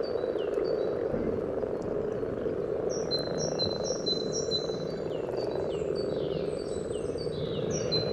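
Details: At a frog spawning site in Sunnersta, Uppsala, a massed common frog chorus purrs low and continuously, recorded with a parabolic reflector; faint high bird chirps and brief whistled notes sound intermittently above.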